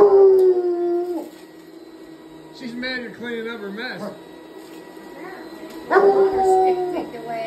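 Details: Hound dog howling at a running vacuum cleaner; sustained mournful howls at start and end, with shorter wavering yodel-like cries between, above a constant machine drone.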